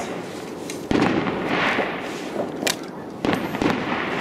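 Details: New Year fireworks crack and burst in sharp explosive pops over a noisy outdoor background, with no animal voice heard.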